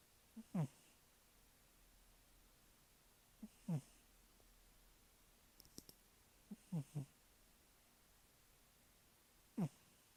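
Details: Cat snoring steadily, with a low, downward-sliding rasp roughly every three seconds, some breaths doubled, and faint clicks between them in a quiet setting.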